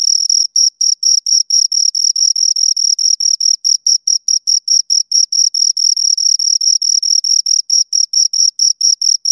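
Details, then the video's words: Two crickets giving shrill, evenly spaced chirps, roughly two pulses per second merging into quick trains, a bright ringing tone over complete quiet. "Two Crickets Chirp Sounds"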